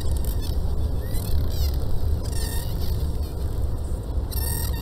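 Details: Dolphins recorded underwater by hydrophone from a research vessel give several high whistles gliding up and down in quick, wavy sweeps, in bursts a second or two apart, over a heavy low rumble of water and engine noise.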